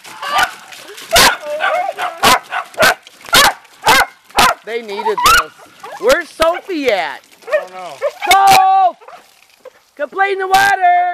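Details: A family group of beagle and dachshund dogs romps in water. Sharp barks are spaced about a second apart, then give way to long, drawn-out baying howls that bend up and down. People's voices can be heard in between.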